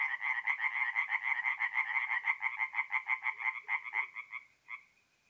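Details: Night chorus of tree frogs at a forest pond in north-east Italy in mid-April: fast rhythmic croaking, roughly two pulses a second, that thins out and fades near the end, with a faint deeper frog note underneath.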